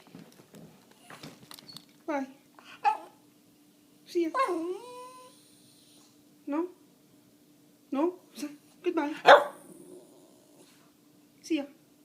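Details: A pet dog indoors protesting its owner leaving the house: a string of short arched whines and yelps with a few sharp barks, spaced irregularly over twelve seconds, with a steady faint hum underneath.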